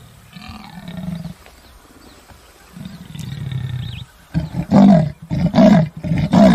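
A leopard gives low rumbling breaths, then a loud series of harsh, rasping grunts in quick succession.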